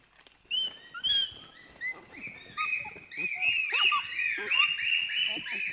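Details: Four to six pygmy chimpanzees shriek excitedly when sugar cane is presented. Scattered high squeals build after three seconds into a loud, continuous chorus of overlapping arched, piercing shrieks.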